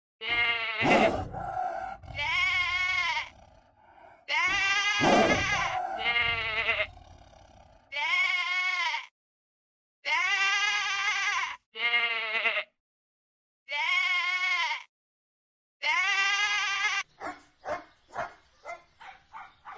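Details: Sheep bleating while scratching its back: a series of drawn-out wavering, nasal bleats, each a second or so long with quavering pitch, separated by short pauses, ending in a run of quick clipped sounds.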